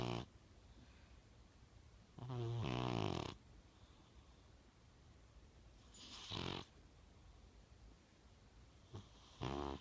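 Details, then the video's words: A young male blue British Shorthair cat snores in slow, rasping bursts, each breath a rough, rumbling rattle. "British Shorthair Blue. Snoring."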